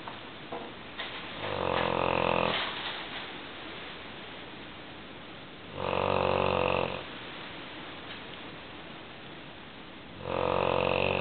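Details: Large female English Mastiff, a pet, snoring loudly while asleep indoors: three long, rasping, harmonic snores, each lasting about one to one and a half seconds and coming roughly every four seconds, with quieter breathing in between.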